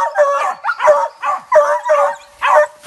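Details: Hunting dogs bay at a manicou (opossum), 2020-2021 hunting season: a rapid run of about seven barks, some stretched into short howl-like yelps, each sharp and evenly spaced.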